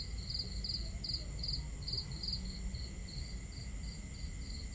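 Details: Crickets chirp at night at a campsite under a starry sky in high, pulsing bursts, about two or three a second, over a low rumble, with a crackling fire and water sounds.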